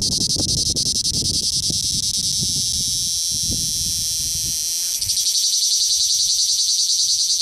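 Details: Male cicada singing at very close range in southern Italy: a loud, continuous, high-pitched shrill buzz with rapid pulsing, briefly faltering near five seconds, over low rustling handling noise.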